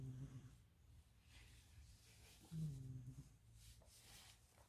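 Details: Loud snoring from a sleeping cat, sounding like a human; one clear rough snore mid-clip and a fainter one at the start, low background hum.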